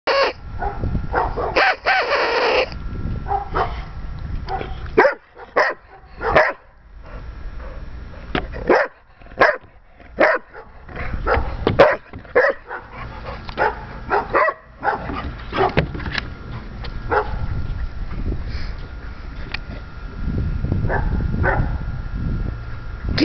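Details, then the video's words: Dog barking repeatedly in short sharp bursts, some in quick runs and others spaced a second or two apart, over steady background noise with a faint constant hum. "More barking"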